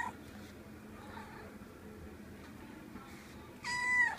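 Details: A cat that came to visit gives a single short meow near the end, a brief harmonic cry after a quiet stretch of low room hum and soft rustling.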